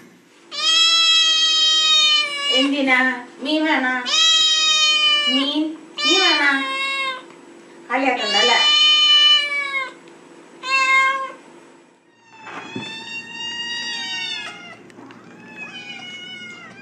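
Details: Domestic cat from a meowing compilation, calling insistently: about eight loud, harmonic meows in quick bursts over eleven seconds, some with rough, broken starts, then quieter drawn-out meows, with a person speaking Spanish.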